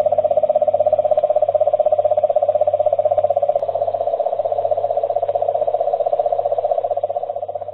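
A cane toad gives a long, steady, mid-pitched trill like a purring engine.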